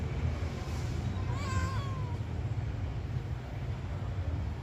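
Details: Responsive pet cat meowing back during a conversation with its owner: a single wavering meow of about a second that bends up and down, then trails off lower, set against a steady low background rumble.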